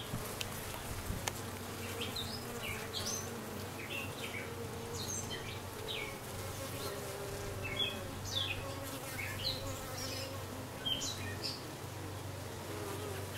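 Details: Honey bees with a new dark queen just arrived, 6/5/13: a constant deep hum of wings under many short, scattered high chirps from birds.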